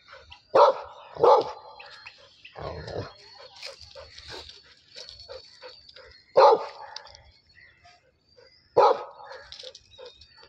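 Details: Labrador Retriever fighting with a buffalo: a quick double bark, then long pauses broken by two more isolated sharp barks, with scattered rustling and faint voices in the gaps.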